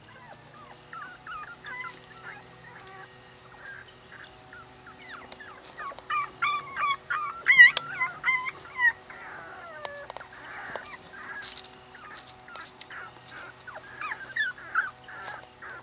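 Miniature Pinscher puppies whine and yelp in high, wavering squeals that overlap one another.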